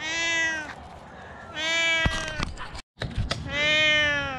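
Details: A rescued cat gives three loud, long, harmonically rich meows, each about three-quarters of a second, with a short click-like noise and a brief gap between the second and third calls.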